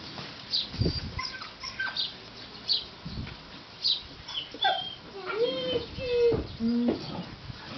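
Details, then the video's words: Puppies whining: short, tonal whimpers, some flat and some slightly bending, cluster in the latter half over a steady noisy background with scattered knocks and rustles. "amazing puppies‼️"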